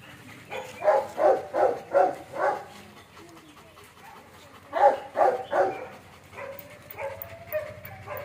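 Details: Barking from German Shepherds at a kennel: a run of five rapid deep barks, a pause, then three more, followed by a softer whine-like tone and faint background murmur.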